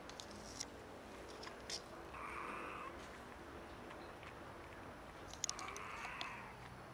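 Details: Two sickly stray cats, one clearly ill, making weird meow sounds: a pair of raspy, flat, second-long meows several seconds apart, over low background hum with occasional taps and rustles.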